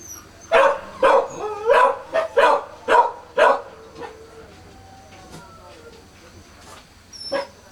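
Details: Newborn Kishu puppies at four days of age, born 16 September 2020: a rapid run of about six loud, high squealing cries, then soft trailing whimpers and quiet, with a single final cry.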